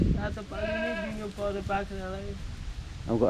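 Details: A 93% Boer goat on a goat farm in Jhapa, Nepal, gives one long, drawn-out, wavering bleat over a noisy background, followed by a brief higher cry at the end.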